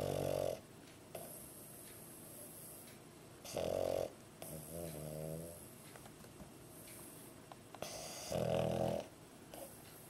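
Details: Pug sleeping indoors, tongue out, snoring in regular cycles: harsh, buzzy inhaled snores roughly every four seconds, separated by softer fluttering, rattling exhales against a faint background hum.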